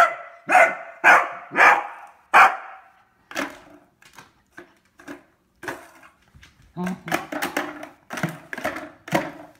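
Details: A Beagle with its new toy barks four times in a steady rhythm, followed by softer, choppier barks and yips mixed with a person's voice in a small room.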